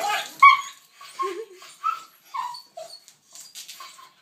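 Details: A 10-year-old dog excited about a walk after seeing the leash, giving short high whines and squeaks spaced about half a second apart, some noise at the start.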